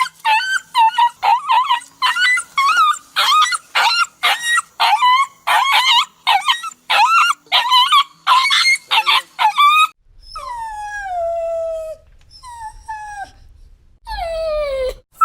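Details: Dog crying and whimpering, part of a set of sounds of sad or lonely dogs: rapid choppy yelping whimpers for ten seconds, then longer falling whines sliding downward, a faint low rumble beneath.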